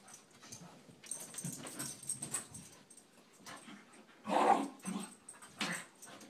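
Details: McGee and Mackie, a pair of Scottish Terriers, play-wrestling indoors. Soft low rumbles and rustling build to a louder yelping burst near the end, followed by a few brief growls.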